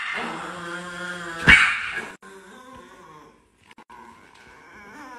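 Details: Angry Chihuahua growling in a steady, buzzy snarl for about two seconds, broken by a sharp snap, then trailing off into quieter, faint grumbling.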